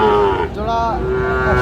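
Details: Sahiwal bull calf at a livestock market in Noakhali, Bangladesh, lowing with a steady low tone and harmonics, dipping briefly midway, while traders haggle over prices in Bengali nearby.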